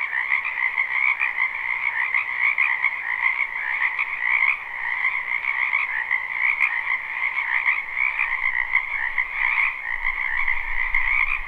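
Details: Many frogs croaking in a wetland behind a house in spring, live unlooped recording: a dense, continuous trilling chorus with two steady bands, a bright upper layer over a softer lower one, pulsing without pause.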